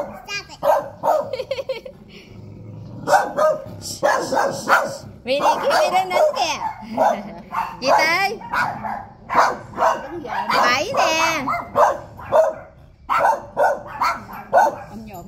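Dogs bark in sharp, repeated bursts at visitors, with human voices mixed in.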